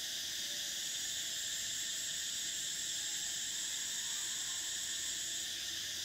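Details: Cicadas in summer: a steady, shrill, high buzzing drone that holds unbroken for the whole stretch, with a second fainter band of hiss beneath it.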